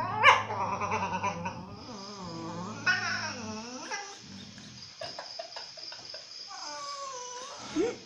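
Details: Complaining dog at a Phuket dog resort, voicing a long run of wavering whines and moaning howls that bend up and down, with brief breaks and a final rising whine.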